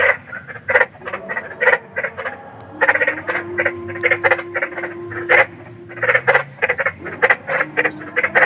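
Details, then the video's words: Large frogs in the wild at night: bursts of short rough croaks in irregular groups, with a faint steady tone briefly running beneath the calls midway and low background hum. "SUARA KODOK || KODOK BESAR || SUARA KODOK SERAM"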